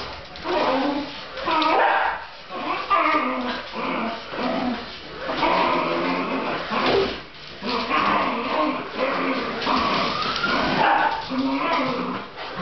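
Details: Pet Fox Terrier excited by a radio-controlled SUV it chases, letting out rising and falling whines and sharp yips every few seconds, while a person talks between the cries.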